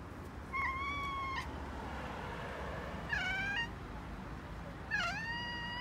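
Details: Indoor cats in Okinawa, a heavy black male and a calico kitten, chattering to birds: three separate mews, the first level and steady, the later two rising then sliding, spaced about two seconds apart.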